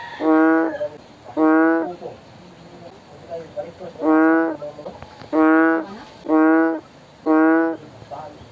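A bullfrog gives deep, nasal bellowing calls, each under a second long, repeated about once a second.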